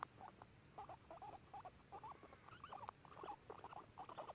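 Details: A pair of pet guinea pigs hanging out and exploring in a garden make clear, short squeaky notes in quick bursts, repeated roughly every half second throughout, over a faint low background hum.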